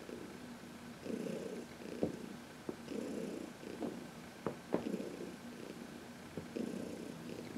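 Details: Heidi, a senior domestic cat of about 14 adopted from the Humane Society of New York City, purring while massaged in the sun on March 19, 2021; steady rhythmic purr in pulses roughly every two seconds, with a few soft clicks.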